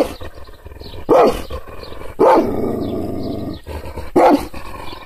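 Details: Provoked, angry Kangal guard dog: three deep, forceful barks spaced about a second or two apart, linked by a continuous low, rumbling growl.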